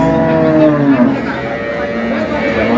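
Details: Cows with calves at Ambari Haat cattle market, Dinajpur, on April 24, 2026: a sustained, fairly level low moo holding steady for nearly three seconds, with market chatter and crowd noise underneath.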